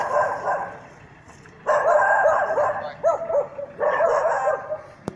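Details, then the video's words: Norrbotten spitz baying at a mechanical bear in bear-hunting training: a quiet start, then quick bursts of high, ringing barks tumbling together, ending with a sharp click. "Karhun haukkua pohjis."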